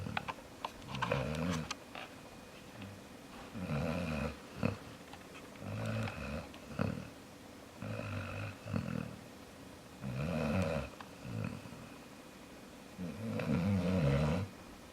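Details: Jaxson, a pet dog, snoring in a small room: low, gravelly snores recur every couple of seconds, some longer and rumbling, others short snorts, with faint clicks and rustles between them.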